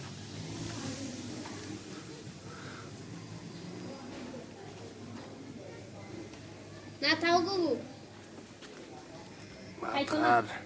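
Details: Black Bengal goat at a local goat farm in Bangladesh: two short, wavering, nasal bleats, one near seven seconds and another near ten, over a steady low murmur of background noise.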